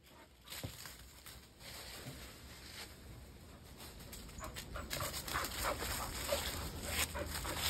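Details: A Standard Poodle playing ball with its owner in a backyard pants and whimpers in quick, breathy bursts over a steady high-pitched hum.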